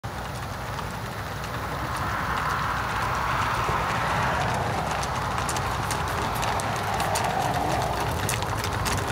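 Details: Tennessee Walking Horses on a group trail ride in New Boston, Texas, 2021, with riders from the four-state area; a steady, rapid patter of hoofbeats runs throughout over a broad rustling background.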